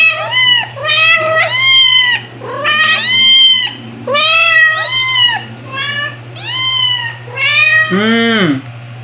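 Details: Domestic kitten, white with Dalmatian-like spots, crying and not wanting to be handled indoors; a rapid series of loud, bright, arching meows, about eight in nine seconds, the last one lower and drawn out, over a steady low hum.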